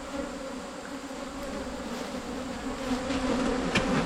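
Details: Buzzing of wild cavity-nesting Asian honey bees tracked down during a 2022 honey hunt: an even, sustained droning hum that grows a little louder toward the end, with a sharp knock near the close.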